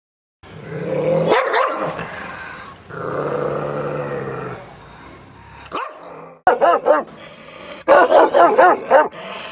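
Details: Guard dogs sounding off: a long rough growl, then a sustained snarling rumble, ending in a run of rapid, sharp barks in quick bursts.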